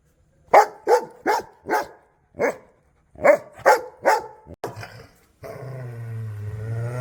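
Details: Angry dog barking hard: about eight loud, harsh barks spaced roughly half a second apart, a short pause in the middle, then a deep, sustained rumbling growl to the end.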